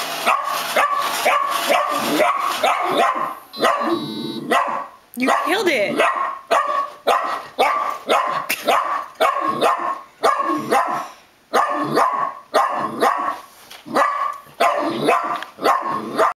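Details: Rufus the mini dachshund objects to the Roomba with long runs of rapid, shrill barks in quick bursts and short pauses, plus a brief electronic beeping tone partway through.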